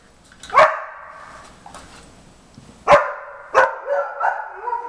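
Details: Jimmer, a 4.5-month-old Briard puppy, barks in the background during a German Shepherd's first nosework try, finding treats beneath tennis balls. Short, sharp barks trail into whiny tails, one near the start and a quick cluster of several later.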